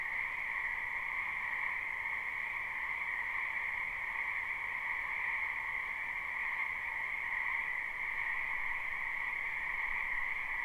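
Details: Night-long style frog chorus from a spring wetland, captured live: overlapping croaks blend into a seamless buzzing hum at a mid and a higher pitch, holding steady from start to finish.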